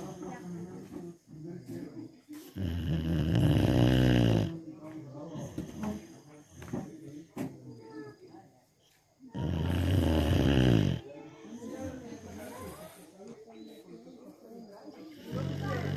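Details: Dog asleep and snoring much like a person, two long, low, rattling snores about six seconds apart, each lasting nearly two seconds, with people talking softly between them.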